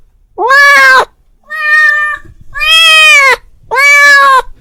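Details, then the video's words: A domestic male cat, calling to his friend, gives four loud, drawn-out meows in quick succession, each about a second long. "The sound of a cat calling his friend"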